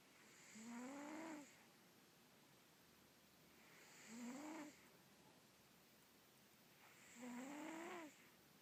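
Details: Russian Blue cat snoring in its sleep indoors, three rough inhaled snores roughly every three seconds, each a low rising buzz with airy hiss, quiet room between them.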